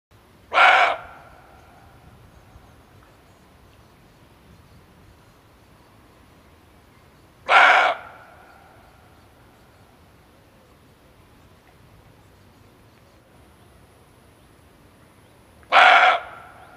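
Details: Male barking deer calling for use as a hunting lure: three loud, gruff single barks, each very brief, separated by long silent gaps of seven to eight seconds.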